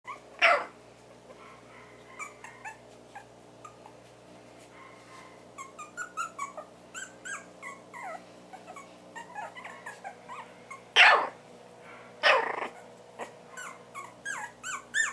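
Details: Four-week-old Havanese puppies indoors make scattered soft yips and short squeaky whines through a quiet room, with a few louder sharp knocks or clatters standing out.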